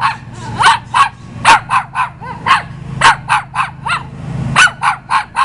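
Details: Visiting dog barking repeatedly, sharp barks roughly every third of a second in uneven runs, a few with a slight yelping lilt, over a faint low hum.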